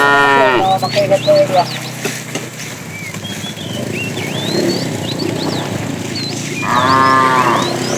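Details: A wandering herd of tame cows searching for food. A loud moo breaks into a wavering tail at the opening, and a second moo comes near seven seconds. Busy bird twittering and a low rumble run between them.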